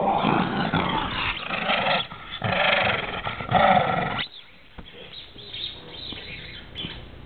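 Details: A pet dog growling in a surprisingly scary way, rough noisy rumbling bursts for about four seconds with short breaks, then a quieter, fainter stretch to the end.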